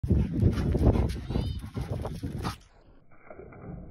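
Low, gruff barks from a Rottweiler come in an uneven rush of short bursts over the first couple of seconds. Afterward the barking fades into a calmer background with a thin, steady hum.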